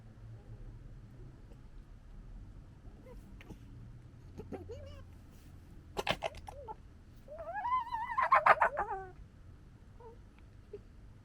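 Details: A red fox cub gekkers at his sister on 13 July 2021, a rapid, warbling, stuttering chatter of about two seconds; soft clicks and thumps come before it in an otherwise quiet setting.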